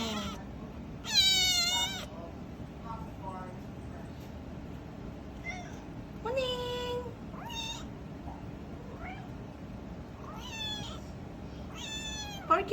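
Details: Little kitten with a large meow: a long, high, harmonic-rich meow early on, then several more wavering meows spaced a few seconds apart, with quiet human speech in between.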